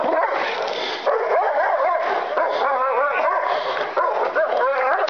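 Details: Kuvasz dog reacting during an intruder test on a property: continuous, agitated barking and yelping with wavering, pitched cries that run together without pauses over the whole stretch.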